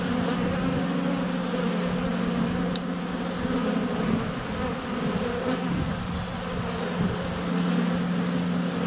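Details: Honey bees crowding a hive entrance in February sunshine, GoPro Hero 7 Black placed less than a foot away: a deep continuous drone of a bee circling close, a click, and a brief thin bird whistle in the background.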